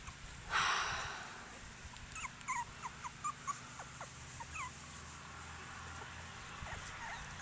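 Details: Outdoors at Denning Farms, one of seven playing Cockapoo puppies lets out a sharp rough bark-like cry, followed by several brief high whimpers and yips spaced about a second apart over a low background hum.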